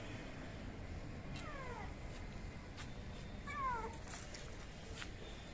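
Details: Young kittens abandoned by their mother, out on a roof after escaping a home; two thin, falling meows at about 1.5 and 3.5 seconds, with faint clicks and a steady background hiss.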